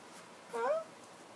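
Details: JC, a pet cat indoors, worried that things at home have changed after a new floor was laid: a single short meow that rises in pitch, with quiet room hush around it.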